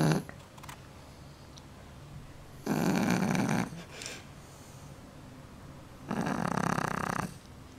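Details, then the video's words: Snoring Shar Pei, its snore likened to a grown man's: two long, broad, raspy breath noises about three seconds apart, separated by near silence indoors. "Шар-пей! Храпит, как настоящий мужик!)"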